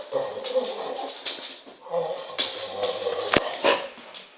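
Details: A female Pit Bull makes odd, muffled whining and grumbling sounds that waver in pitch while holding a ball in her mouth, with a voice nearby.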